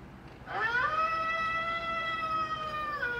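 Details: Female pet Golden Retriever howling: after a quiet start, one long, steady, tonal howl rises briefly at its onset and then holds an even pitch for about two and a half seconds.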